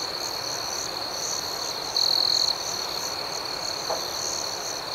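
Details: Crickets chirp through the night: a thin, steady, high-pitched ring with rhythmic pulsing above it and one louder half-second burst of chirping in the middle.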